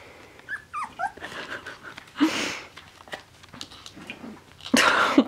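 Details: Two male Finnish Spitz puppies, four weeks old, playing indoors: a few thin, high squeaky yelps that bend up and down early on, then scuffling and rustling bursts, with a woman's voice nearby.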